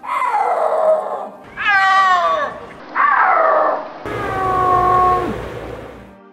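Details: Snow leopard, a big cat that cannot roar, giving a series of drawn-out wailing calls: four separate mewing, moaning phrases with rich harmonics, some rising then falling, the last one long and steady before dropping off.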